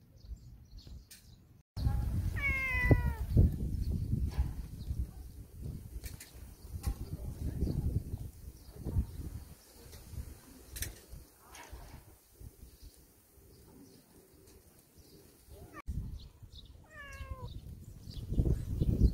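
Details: Stray cats, tagged as temple cats, give two short harmonic meows that rise then fall, one near the start and one near the end, over steady low rumbling and handling noise.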